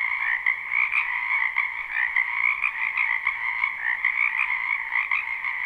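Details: Frogs filling a spring wetland with croaking, live recording without loops; a thick, unbroken trilling wall of calls with small surges in loudness and faint sharp clicks.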